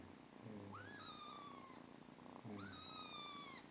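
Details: Domestic cat meowing twice, each call a rising then long level tone with bright harmonics, about two seconds apart, over soft low background hum.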